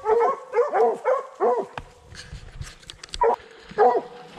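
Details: Young Redbone Coonhound on a coon hunt, barking at a tree where it smells the quarry: a rapid run of short, ringing, harmonic barks, about seven bursts in four seconds, with a brief rustling pause midway.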